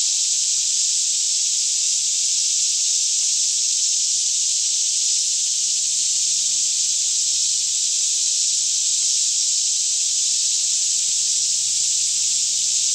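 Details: Daytime cicada chorus surrounding a green forest near Franklin, Kentucky, around 10am in still air; a loud, seamless high-pitched shimmering drone fills the whole stretch, with only a faint low hum beneath it.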